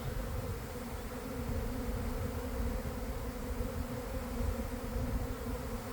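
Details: Honey bees swarming from a garden hive around one in the afternoon and gathering on a boxwood bush after a cold, damp week; six seconds of continuous, even humming with layered droning tones.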